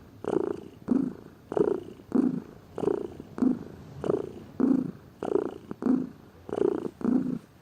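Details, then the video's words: Domestic cat, a lazy pet, purring: a low rumbling purr in steady pulses, each burst about half a second long, alternating slightly in pitch with inhaled and exhaled breaths. "Gato Ronronando, Som de Gato, Ronronar de gatos"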